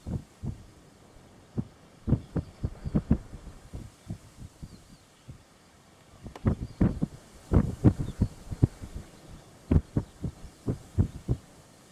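Irregular low thumps and knocks, like handling or wind buffeting on a microphone, with no animal voice.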